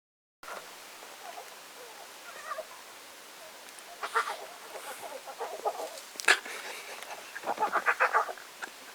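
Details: A one-week-old lion cub gives soft, irregular squeaky mews and grunts of contentment mixed with wet sucking clicks while suckling.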